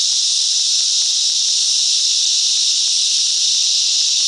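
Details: Coffs Harbour mangrove cicadas, in NSW, Australia, massed in song: a steady, high-pitched electric buzzing that stays level and uninterrupted across the whole stretch.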